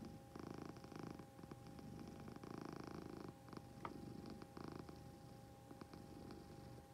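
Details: Close purring from a pet cat. The low, pulsing drone comes in rhythmic waves a second or two long, separated by brief quieter gaps, with one faint click midway.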